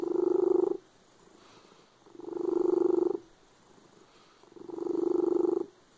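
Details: Cat purring loudly in a close, deep vibrating drone, three smooth swells spaced around two and a half seconds apart, each separated by a faint softer rumble.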